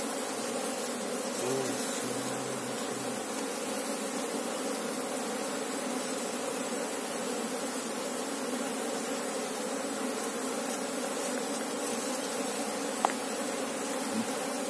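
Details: A working colony of Asian honey bees, Apis cerana, examined while looking for their queen; a long, level swarm drone of many wingbeats, a brief faint tone near the start and a sharp tap near the end.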